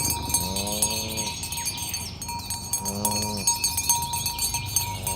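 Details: Cows moving along a village road toward the pen in the morning give two drawn-out, low moos about two seconds apart, over a constant bell-like ringing tone and bright high chimes.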